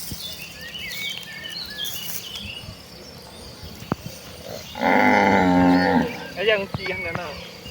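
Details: Village cattle on their way to the rice fields to graze; one loud, steady moo of about a second, then bird calls and chirps around the countryside.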